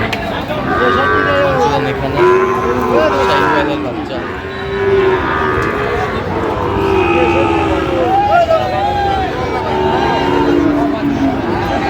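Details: Sahiwal calves at a cattle market in Comilla, Bangladesh, bought by a farmer: several drawn-out, wavering moos overlap amid a dense crowd murmur and background chatter.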